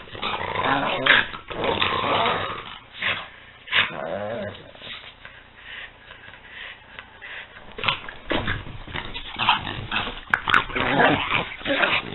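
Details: Peanut and Daisy, two French Bulldogs wrestling in play, produce rapid choppy growls and snuffling yips in quick irregular bursts, followed by a quieter stretch and then renewed growling.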